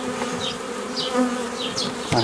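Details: Continuous low humming drone of many honey bees during the making of nucleus colonies from a forager swarm, 15 May 2018, with occasional higher whines of single bees passing close and a brief knock near the end.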